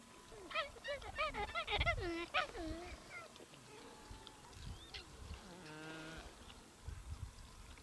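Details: Gelada baboons in the Simien Mountains of Ethiopia, recorded between October and November 2015; a rapid burst of short, harmonic, yelping calls rising and falling during the first three seconds, then fainter tonal notes and a low droning murmur over breezy background.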